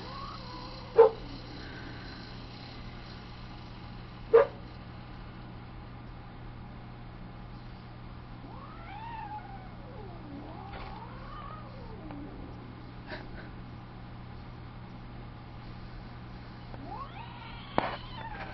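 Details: Domestic cat Tiger protesting as KcKillercat tries to join her on the outdoor window ledge: long wavering caterwauls that rise and fall in pitch, drawn out over several seconds, set between sharp knocks and low steady hum.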